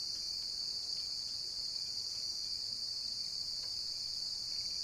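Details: High, constant shrilling of a cricket fills the whole stretch, smooth and uninterrupted, with only faint background.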